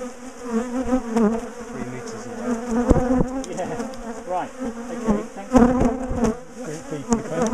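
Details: Large bee colony being dismantled and moved out of a top bar hive; a dense, fluctuating buzz of many bees fills the scene, with scattered clicks and handling noises.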